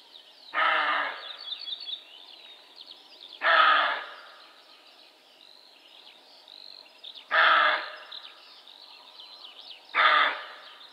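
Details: A roe buck (Capreolus capreolus) gives harsh, hoarse barks, each a short rasping burst repeated every few seconds.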